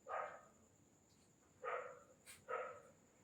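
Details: Three bright yapping barks from young Indian desi dog puppies close to four months of age, with pauses between them, a brief click and a steady faint electrical tone in the background.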